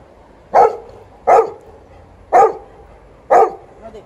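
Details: Liza the Alaskan Malamute, a female, amusing herself during playtime next to an old Golden Retriever; four strong barks spaced about a second apart, each clipped and forceful, over faint background noise.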